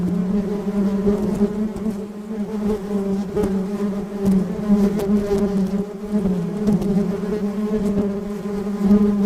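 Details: Many honey bees gathered on a gate make a dense, steady hum, a low drone with a strong overtone above it.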